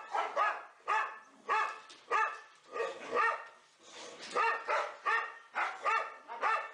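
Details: Four pet boxers in an indoor play room bark during rough play. Clusters of two or three overlapping yappy barks are separated by short gaps, with varied loudness throughout.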